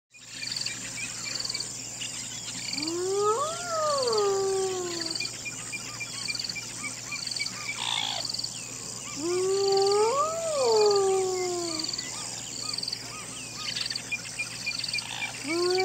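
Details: Hyena giving two long whooping calls, each a smooth tonal rise then fall with clear overtones, about six seconds apart. Steady high insect chirping and pulsing fills the background throughout.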